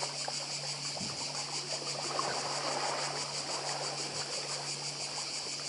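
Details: Cicadas on Badija island, Croatia, recorded in 2024: a steady, high, shimmering buzz with fast even pulsing runs through the clip, over a soft trickle of sea water.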